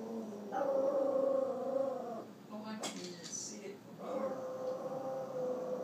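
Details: A dog gives drawn-out, moaning, whine-like grumbles at his reflection, with a brief human voice between them.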